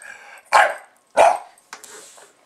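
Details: Pet Bulldog named Buster barking at a camera once it is recording, two sharp, loud barks close together, followed by a softer, breathy huff.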